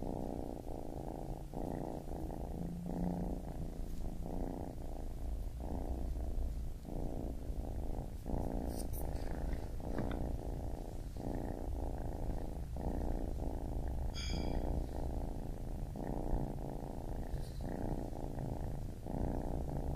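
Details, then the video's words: Baby kitten purring in a steady rumble that pulses with each breath about once a second, with a few faint soft clicks and rustles in the background. "Baby Kitten Purring"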